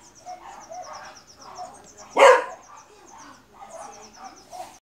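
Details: A Beagle lets out a single loud, harsh bark against a steady backdrop of rapid, high, repeated chirping and soft rustling.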